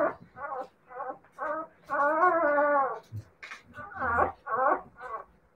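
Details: Siberian Husky puppies whimpering and whining: short harmonic cries in quick succession, one drawn-out whine near the middle, then more choppy yelps, indoors.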